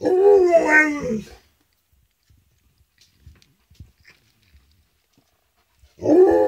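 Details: Alaskan Malamute howling at a siren, indoors: a wavering, harmonic howl of over a second opens, then near-silence with faint taps, then a second howl begins near the end. The siren itself is not heard.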